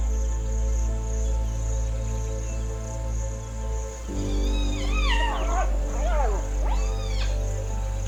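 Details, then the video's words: Hyenas calling near the cheetah Kisarou in the Maasai Mara, predators that could attack her cubs: several swooping, wavering cries with rising and falling pitch arrive in quick bursts late on, over a steady low musical drone. "Ακούει ύαινες κοντά."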